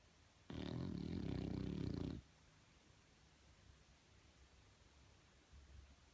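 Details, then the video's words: Snoring French Bulldog, one loud rattling, vibrating inhaled snore lasting under two seconds, followed by near silence with faint room noise. "Frenchie Snoring"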